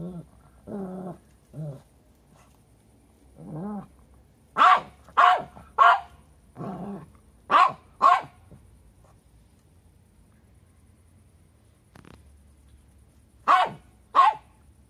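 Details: A Lhasa Apso dog confronting a hedgehog gives low growling grumbles mixed with bursts of sharp barks, often in quick pairs, with quiet pauses between bouts.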